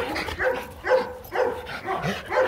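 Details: Rottweiler mating pair Marvin Gervi and Kacyno Gervi in Hanoi, Vietnam, male courting a fussy female; repeated yapping barks spaced roughly every half second, with quiet human voices underneath.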